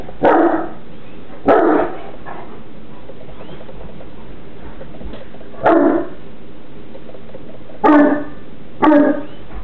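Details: Newfoundland siblings Burley Dog and Miss Priss romp and wrestle playfully; five loud gruff bark-growls arrive irregularly over ten seconds, with quiet rustling and hiss between bursts.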